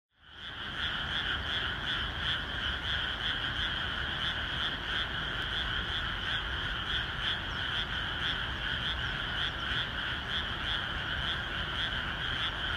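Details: Frogs calling in a rain-soaked rice paddy the day before rice planting: a dense, unbroken chorus of many overlapping croaking callers, pulsing rapidly and evenly with a bright two-toned buzz, and a soft rain hiss beneath.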